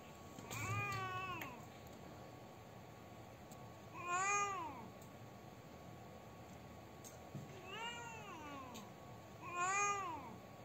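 A domestic cat gives four drawn-out, wailing meows, each swelling then sliding down in pitch.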